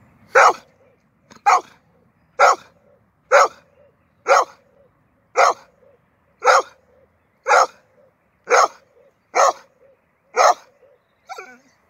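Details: Labrador Retriever Huka, out on a walk in a park in Veldhoven, chasing rabbits that ran into their burrow. Sharp, loud barks repeat roughly once a second, eleven in a row, with a quiet background between them.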